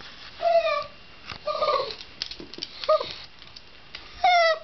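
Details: A Shiba Inu gives a few separate whining cries, short and tonal with falling endings, spaced irregularly and mixed with soft clicks and rustles between the calls.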